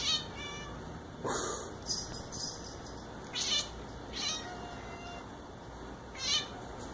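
A Bengal cat gives a few short, bright chirps spaced unevenly over several seconds.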